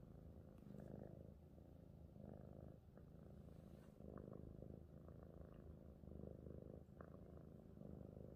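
A domestic cat purrs steadily, a low rumbling vibration pulsing in a continuous rhythm.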